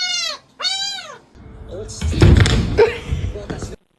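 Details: Two quick arched meows from a cat, each rising then falling, followed by a burst of noisy voices and background music in a small room.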